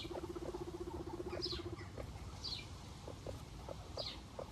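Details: A guinea pig gives a steady, low, vibrating purr-like rumble for almost two seconds, then soft short clicks. Three high downward chirps break in above a constant low rumbling background.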